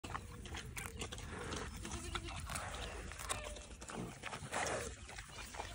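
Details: Berkshire pigs grazing and feeding on a small family farm in Washington grunt and snuffle in low, broken bursts, with faint voices nearby.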